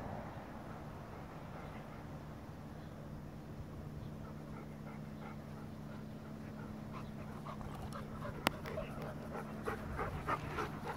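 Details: Goldendoodle Farfel playing with his cousin Utley, a Bernese Mountain Dog; soft breathy panting in quick rhythmic pulses, about three per second, growing clearer toward the end, over a steady low hum, with one sharp click near the end.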